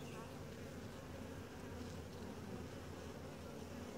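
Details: A calm, gentle honey bee colony during a typical hive inspection gives an even, droning hum. The sound is low and dense, with faint flickering higher tones and no clear breaks.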